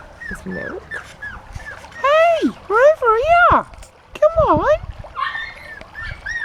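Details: Honey's puppies on their first time out of the pen give loud, arching whines that rise and fall, several in quick succession mid-clip, with a person talking and calling to them throughout.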